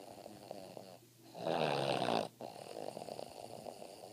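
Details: Boston Terrier (Canis lupus familiaris), snoring.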